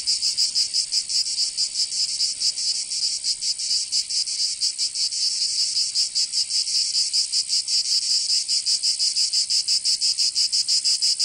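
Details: Summer cicada chorus from Provence in the south of France, a shrill high buzz throbbing in quick, slightly uneven pulses that never pause, filling the whole recording with no other animals or voices.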